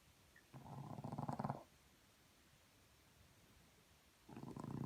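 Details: French Bulldog snoring in the morning: two short, low, rough rasping breaths about three seconds apart, with quiet room hush between them.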